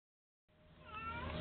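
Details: Young cat named Moos, a pet, meowing for attention indoors: a faint, short, tonal meow rising and falling, following a silent start.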